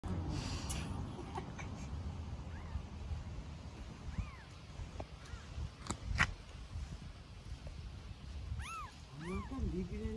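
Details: Newborn hungry stray kitten in Istanbul calling for its mother: a few faint, arched high meows in the second half, over steady low rumble and people talking in Turkish.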